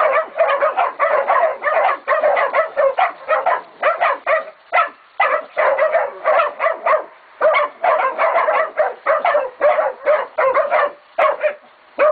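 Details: A pig bayed by Catahoula and BMC pups aged 11 to 16 weeks at Golden Creek Catahoulas Kennel; rapid, repeated high barks and yips from several young dogs, rhythmic and almost unbroken for twelve seconds.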